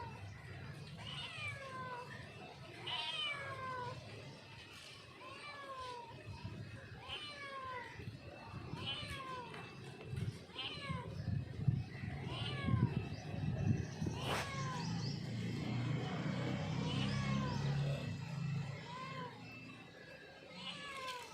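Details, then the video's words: Mother cat calling her kitten with short, arching meows repeated about once a second, rising then falling in pitch, some doubled, over a steady low rumble with a sharp click midway and scattered thin background rustles. "Cat Calling Her Kiten"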